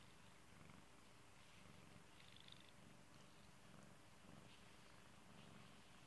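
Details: Pet kitty purring softly, a deep vibrating drone that ebbs and returns with each inhale and exhale, accompanied by faint soft rustling.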